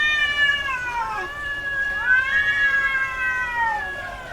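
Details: Female domestic cat in heat calling: two long, drawn-out wailing meows, each with a falling then level pitch and rich harmonics, the second rising at its start and sliding down at the end.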